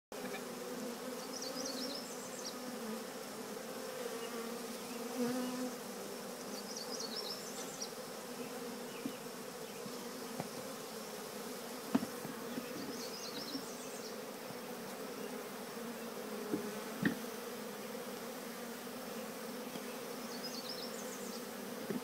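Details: Collected swarm of bees walking voluntarily into their new home, The Cathedral Hive: a steady, low, droning hum with a second higher layer runs throughout, while short twittering bird phrases repeat high above and faint ticks sound now and then.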